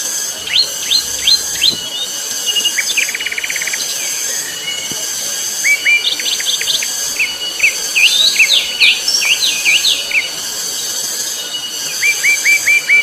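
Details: Loud, shrill cicada (tonggeret) chorus on Gunung Pabangbon: a steady, piercing high drone that runs unbroken throughout. Many birds chirp, whistle and trill over it in quick bursts.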